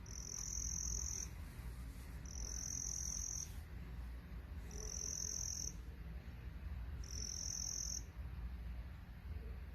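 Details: Crickets making noise, shrill sustained trills of about a second each, four of them separated by short gaps, set against steady low background rumble.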